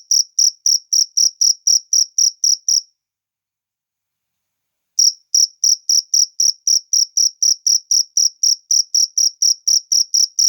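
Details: Cricket in nature chirping in quick high ringing pulses, stopping for about two seconds of silence, then resuming the same rapid, steady rhythm.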